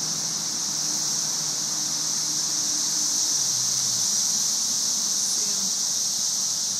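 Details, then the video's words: Thousands of cicadas swarm the trees in May 2011, their massed song an unbroken, sizzling, white-noise-like wash held high and constant, with faint low murmurs and a brief squeak underneath. "Cicada "Music" May 2011"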